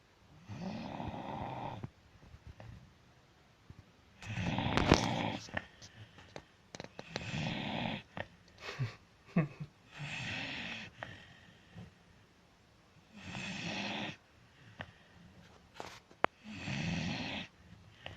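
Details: Snoring dog with a steady run of six or seven low, raspy, rattling snores roughly every two to three seconds, separated by soft breathing and small clicks.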